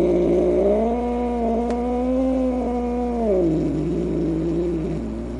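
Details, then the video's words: Upset, angry cat moaning in a sustained, level growl-like wail for over three seconds before it drops lower and trails off, with a steady background hum. "Cat Angry Sounds | Cat Snarling, Cat Hissing, Cat Moaning | Angry Cat Sounds"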